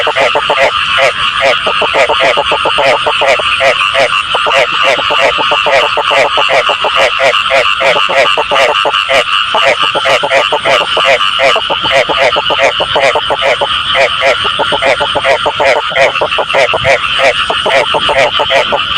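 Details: Continuous loud frog chorus meant for catching frogs: rapid, rasping croaks repeated many times a second, layered voices merging into an unbroken throbbing wall of sound for the whole stretch.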